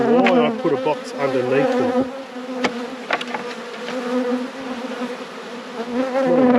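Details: Steady colony drone from honey bees during a full apiary inspection, hives at peak production; a brief human voice opens, then an even, continuous low buzz fills the remaining seconds.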